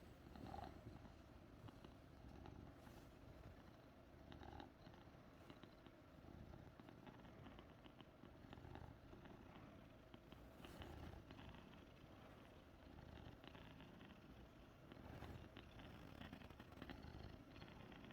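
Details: Persian house cat giving a healing purr for its owner; continuous low, rough purring sustained at an even level, with soft rustles and occasional light taps.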